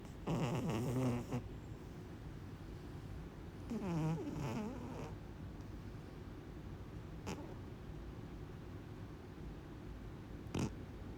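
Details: Sleeping kitten snoring, a soft low rumbling rasp repeating steadily about three times a second, with two brief louder tonal whines near the start and a few sharp clicks later.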